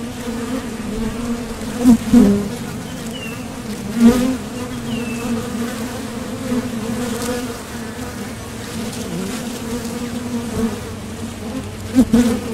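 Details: Honeybees flying to and from a Top Bar Hive entrance while foraging for nectar; a steady humming drone with sharp close fly-by swells near two, four and twelve seconds, plus a couple of faint distant chirps.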